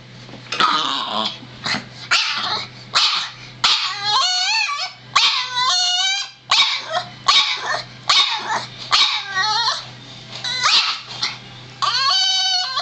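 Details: Boston Terrier barks and yips about once a second, each call high and tonal with bending, whiny overtones, some drawn out into short howling whines, over a steady low hum.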